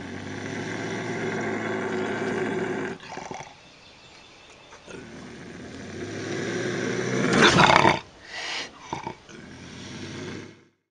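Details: Intense bobcat growls and howls meant to keep raccoons away: a long, rough, droning growl with steady overtones, a quieter stretch, then a loud burst of harsh snarling and short broken rasps.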